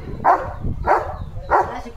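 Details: German Shepherd dog outdoors in a field, barking steadily instead of eating the food brought for him; three short hoarse barks roughly every 0.6 seconds over low rumbling background noise.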